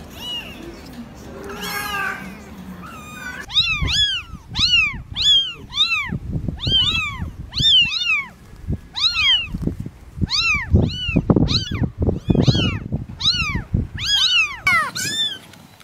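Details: Kittens meowing in a rapid stream of short, high, arched mews, often several overlapping, repeated almost every half second after a brief opening of softer sounds.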